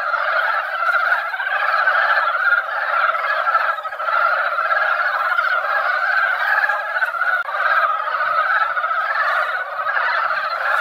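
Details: Mountain frogs gathered in a quiet mountain pond after a light rain that barely wet the ground, in their yearly breeding season. A dense, unbroken chorus of overlapping croaking notes pulses steadily with no pause.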